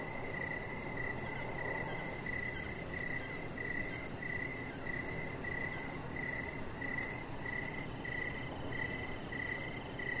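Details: Crickets at an evening deck where a chihuahua puppy lies, bright pulsed chirps repeating steadily about every half second over a dull low background hum.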